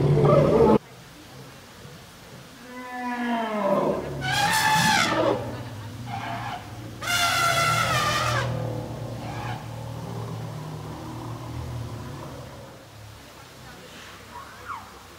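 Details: Excited elephant cows inaugurating their new outdoor enclosure at the Dschungelpalast, herd around matriarch Indra; a falling squeal, then two blaring broadband trumpet blasts a few seconds apart, followed by quieter rumbles and fading calls.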